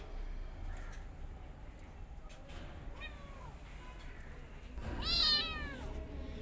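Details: Mother cat with kittens; a few faint short mews early on, then one loud, bright, drawn-out meow near five seconds, with a low background hum.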